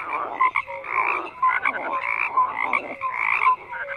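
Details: Frogs croaking in a dense chorus, overlapping pulsed croaks near the mid range with brighter notes on top, swelling and fading in bursts roughly every second, no other sounds standing out.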